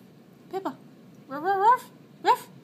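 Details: Eight-month-old Shiba Inu called Pippa, filmed 4.10.12, vocalizing when asked to speak: a short two-part whine, then a longer wavering yodel-like cry that rises and bends, and a final brief yelp.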